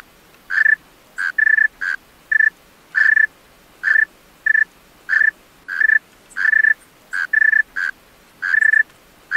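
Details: Night song of a male tree cricket, with clear tonal chirps in brief bursts, often doubled, spaced irregularly about every half second over a faint, steady hiss.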